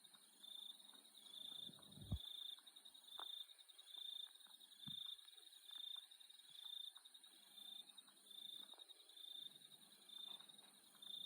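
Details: Australian nighttime insects trill steadily in high, shrill tones that swell in soft pulses roughly once a second.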